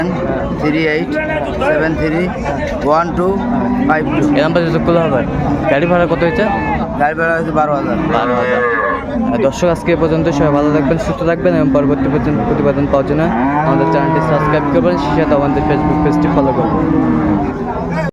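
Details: Cows and calves at the Ambari Haat livestock market, Dinajpur, 24 May: repeated low lowing from many animals overlaps continuously for eighteen seconds beneath busy crowd talk and occasional sharp knocks.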